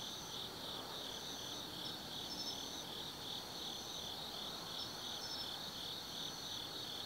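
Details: Night chorus of autumn insects at Tsukimi no Mori, Kaizu, Gifu Prefecture, Japan, from a hilltop viewpoint: continuous shrill pulsing trills layered with higher, separate bursts that return every couple of seconds.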